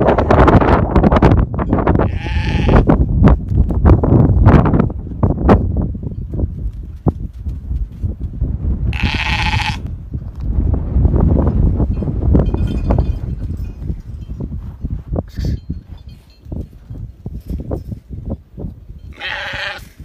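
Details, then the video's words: Meatmaster sheep in South Africa giving three short bleats, well spaced, over a constant loud rumble of trampling hooves and knocking from the flock. "the best sheep meatmaster in south africa"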